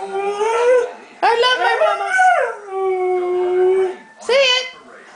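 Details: Dog 'talking' as part of its morning ritual: three drawn-out, whiny howling vocalizations with sliding pitch, the middle one long and settling into a steady falling tone, while a person speaks nearby.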